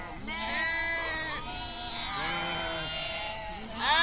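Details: Sheep of a nomadic herd grazing in Kashmir, bleating in long quavering harmonic calls, three to four drawn-out bleats overlapping across four seconds, the last rising louder, low background rumble throughout.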